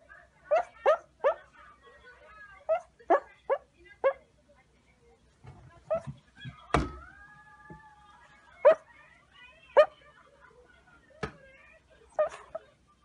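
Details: Shih Tzu, a small dog breed, giving a quick run of short harmonic yaps, then a long drawn-out whine near the middle, followed by single sharp barks spaced a second or more apart over a quiet background.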